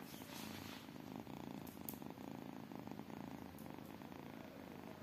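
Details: Low, even purring from tiny kittens: a constant rumble with a light rhythmic throb and a couple of brief faint ticks.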